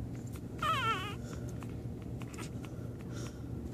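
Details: American Pit Bull Terrier on its first day, giving one brief wavering, high-pitched whine of about half a second, set against a steady low hum and scattered faint clicks.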